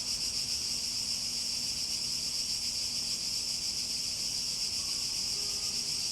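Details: Steady chorus of cicadas: an intense, shrill, sizzling drone that holds constant throughout, with a faint low hum and a few soft brief tones near the end.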